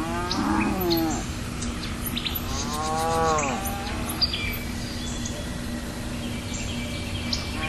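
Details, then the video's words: Two bellowing moos from a cow, the second longer and swelling, followed by quieter background with birds chirping and twittering. "Creazy Sound of Cow"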